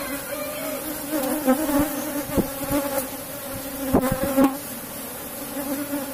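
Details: Honey harvest from a box-hive colony of Asian honey bees: a steady humming buzz continues under repeated knocks and clicks of hive work, loudest around the fourth second.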